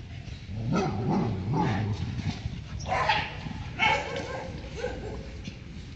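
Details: A male Labrador Retriever, Fuzzy, gives short, punchy play barks at another dog while playing with a ball, with a person talking nearby.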